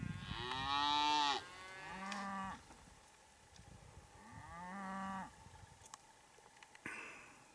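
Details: Hereford cattle during breeding season, with a big bull courting and mating cows: four drawn-out, harmonic-rich moos, the first loud and strained, the later ones lower and shorter, separated by quiet pauses with faint clicks.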